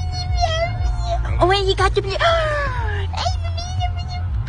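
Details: Puppy howling in a long wavering tone that holds steady, then breaks into several sliding, falling cries with bright overtones, over a constant low rumble.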